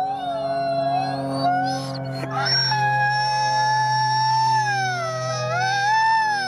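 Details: Wolf pack chorus at the Wolf Conservation Center, South Salem, New York, with all 50 wolves howling: several overlapping howls at different pitches, one sliding up high after a brief break, others wavering and gently rising and falling throughout.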